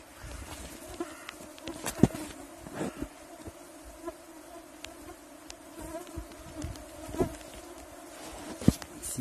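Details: Yakutian mosquitoes whining in a continuous, level drone of two steady tones, broken by scattered sharp clicks and light handling knocks across nine seconds.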